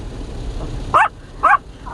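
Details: A small Maltese in a car at an automatic car wash gives two sharp, high, anxious barks against steady machine rumble and rushing water; sensitive to small sounds, it barked from when water spraying began, unlike its first visit.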